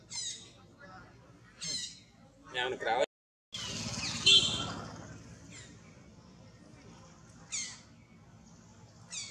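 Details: Baby monkey Jason, busy and active beside a protective mother, utters short high squawking screeches in scattered bursts, with a brief silent gap, a loud knock and some background voices.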